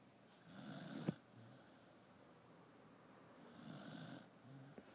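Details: Koro, a pet dog napping indoors, snores softly; two breathy, rasping snores about three seconds apart, with a faint click between them.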